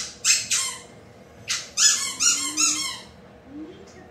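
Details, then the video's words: Ryobi, a playful female Rhodesian Ridgeback/McNab/English White Lab mix puppy, barks while excited and playing indoors, perhaps at her reflection or her Kong toy: two short high yips, then a run of four sharper, louder barks, with a faint rising squeak near the end. "Ryobi Likes to Bark and Play!"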